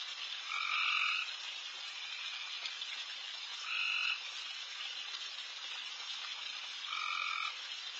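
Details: Loud frogs calling at night in a backyard where deer feed, a dense high-pitched chorus filling the air, with three louder trilled calls standing out, each lasting under a second and spaced about three seconds apart.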